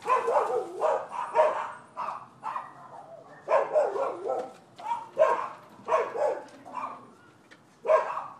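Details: Nuisance barking by neighbors' dogs at a Florida rental property, December 2015: steady, loud, harsh barks come in quick bursts of two or three, repeating almost without pause through the whole stretch.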